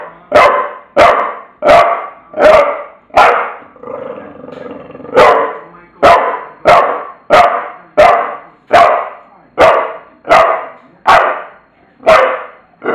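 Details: Steady run of hoarse, mid-pitched barks from Tula the bulldog, about one per second, broken by a brief low grumbling growl around four seconds.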